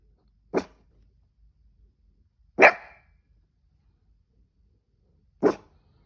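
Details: Hiccuping cavoodle giving three separate short barks, spaced two to three seconds apart, the middle one louder and slightly longer, with silence between them.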